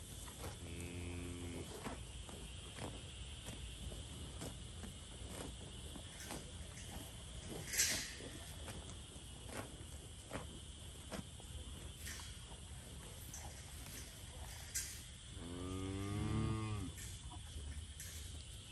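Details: Limousin and Angus breed cattle in a pasture: two low, drawn-out harmonic moos, a short one near the start and a longer, louder one near the end, over steady background hiss and a constant high-pitched hum.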